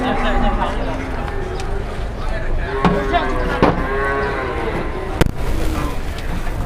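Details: Several cattle loaded beyond capacity onto a truck low repeatedly, with moaning harmonic moos throughout, mixed with engine noise, a sharp bang and men chatting.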